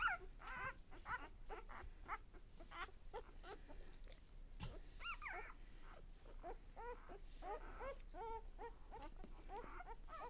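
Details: Lexa's litter of one-day-old puppies giving many short, high squeaking whimpers, rising and falling, overlapping in quick succession from several pups, with a low background hum.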